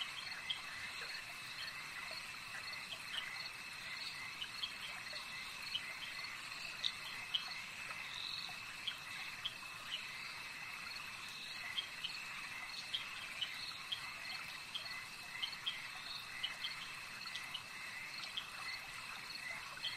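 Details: Frogs calling at a lake: a dense, far-off chorus of short, high, pulsed notes repeated steadily, layered over a continuous shrill insect-like hum, with no other clear sounds.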